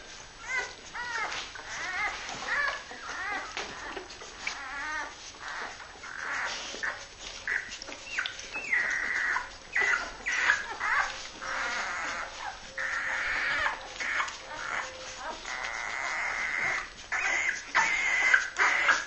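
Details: Young Labrador Retriever pups from Honeydark's H litter, born 23 February 2012, calling indoors: a dense, continuous chorus of piercing whines, yelps and wavering squeals from several puppies, overlapping almost without pause.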